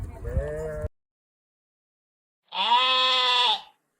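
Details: Sheep giving two bleats separated by silence. The first is short and lower; the second is a steady, bright, strongly harmonic baa of just over a second.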